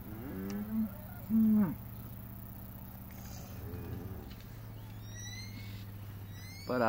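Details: One-month-old calves on a farm in El Salvador give short, harmonic bawls, one swelling loud and steady near the middle. Faint bird chirps follow, and a low hum runs underneath throughout.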